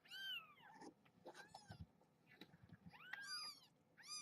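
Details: Litter of domestic kittens and their mother in a box at bedtime feeding; loud, insistent overlapping mews with bright arching harmonics come in rapid succession, bending up then down, with soft rustling between them.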